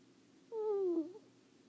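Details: Sleeping pet ferret named Leo gives a single snore: a squeaky, whistled tone sliding gently downward for about half a second, ending in a brief upward flick, against quiet indoor background hum.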